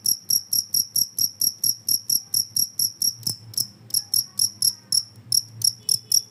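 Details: Cricket chirping put forward as a rat repellent: rapid shrill pulses in a fast regular run, briefly breaking up midway with a low knock, then resuming, over a light hum.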